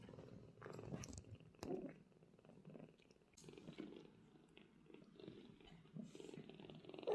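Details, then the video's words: Indoor cattery recording of a British Shorthair mother cat with two young golden kittens resting: a steady, low, rumbling purr runs throughout, with faint handling rustles over it. "The Relaxing Sounds of Young Kittens and Mother Cat"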